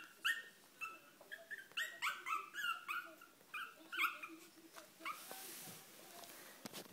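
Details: Kennel Club registered Chihuahua puppies crying: a quick run of high, thin whimpers and yelps, each short and bending up then down, about a dozen in four seconds before fading into rustling.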